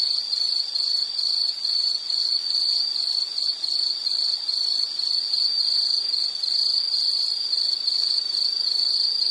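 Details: Insect chorus from a nature-sounds relaxation recording: a steady high-pitched band of rapid, pulsing chirps, repeated more than twice a second, with several overlapping callers continuing without pause.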